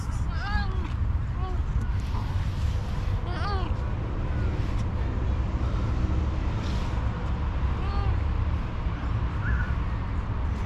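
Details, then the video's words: Orange cat, hungry and asking for food, gives four or five rising-then-falling meows at irregular intervals against steady low engine hum and outdoor street noise. "The Hungry Orange Cat: Meows for Food"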